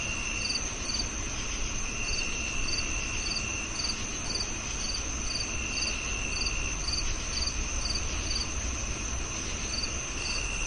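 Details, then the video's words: Cricket chirping: short, high, pulsed chirps repeated about twice per second at a steady pace, over a continuous high, thin whine that fades in and out and a low background rumble. "Sound of Cricket"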